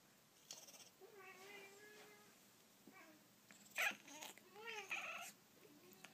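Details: Three Persian cats, impatient and wanting a toy held up out of reach, give drawn-out harmonic meows, one long and level, others short and bending, with a few loud sharp clicks and thumps between calls.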